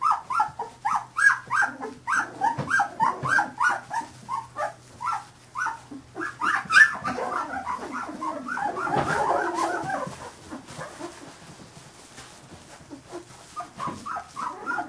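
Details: A litter of 15-day-old Carolina Dog puppies squeals in quick, regular bursts of high yelps for about seven seconds. A rough rustling mass of sound follows, then softer, quicker squeaks resume near the end.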